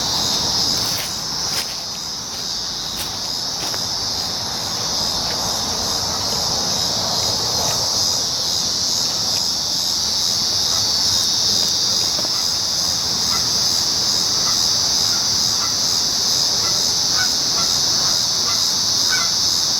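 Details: Steady high electric buzzing of many cicadas calling together, a constant shrill wall of sound; brief sharp ticks and a faint lower murmur early on, then the drone continues unchanged.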